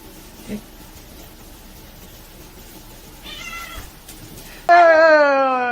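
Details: Domestic cat in a funny-cats compilation: a faint harmonic meow, then a sudden loud, drawn-out meow that starts high and slides steadily downward, rich in overtones, over a quiet room background.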